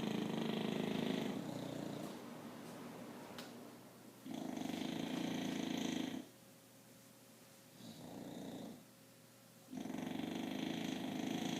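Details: Sleeping English Bulldog snoring indoors, harsh buzzy rasping breaths lasting one to two seconds each, separated by quieter gaps, with a faint high tone during the pauses.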